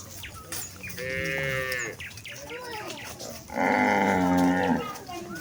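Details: Cows and calves of a village herd heading back to their farm pen: two sustained, nasal moos about two seconds apart, the second louder and steadier, with faint chirps and rustling between them.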